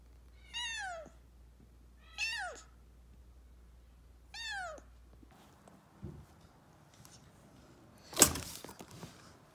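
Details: Kitten rescued as an emergency after nearly being hit by a car gives three high, thin meows that fall sharply in pitch, about two seconds apart, followed by quiet room sounds and a sharp thump near the end.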